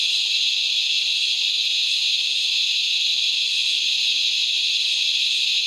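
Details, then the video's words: Common Australian razor grinder cicada (Henicopsaltria eydouxii) at dusk, giving a sustained shrill grinding whine, constant in pitch and volume from start to finish. "Razor Grinder Cicada Call"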